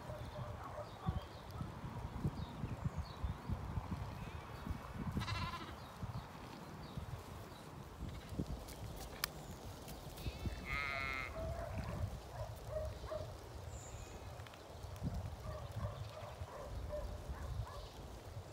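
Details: Ewes and lambs settled in a pasture on a regenerative farm in County Kilkenny, Ireland. Two brief, buzzy, harmonic bleats rise over a steady low rumble of field noise and footsteps, with faint scattered clicks between them.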